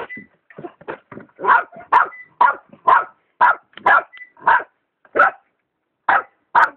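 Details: Dog barking at a kitten behind a plant, giving a steady run of about a dozen sharp, harsh barks, roughly two per second, spaced more widely toward the end, with faint thin whines in between.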